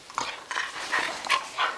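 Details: Catahoula Leopard Dog and Australian Cattle Dog play wrestling in June 2010: a rapid run of short, sharp yips and huffs in quick bursts, about five in under two seconds, with a person talking to them nearby.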